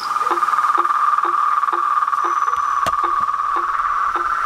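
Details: Toads, frogs and treefrogs chorusing at dusk at a pond in front of a house porch: a steady, dense trilling hum with short, regularly spaced notes that drop in pitch, roughly two per second, and a few sharp clicks.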